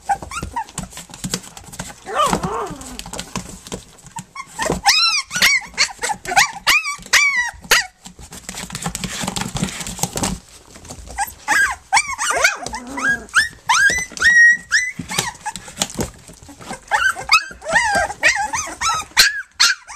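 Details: Flute's litter on their three-week birthday, nursing and playing: clusters of sharp, sweeping squeals and whines come in bursts separated by quieter stretches of shuffling and snuffling.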